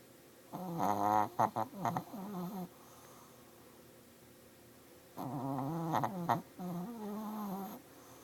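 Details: Shih Tzu with sinus issues snoring in two long bouts about five seconds apart, each a rattling, gurgling nasal breath with sputtering bursts and a droning tail.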